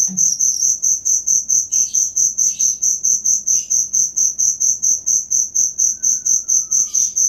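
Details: Cricket, recorded as material for training songbirds, gives a rapid high-pitched chirping pulsed about twice per second, very even and continuous, with faint scratchy bird notes and a soft thin whistle in the background.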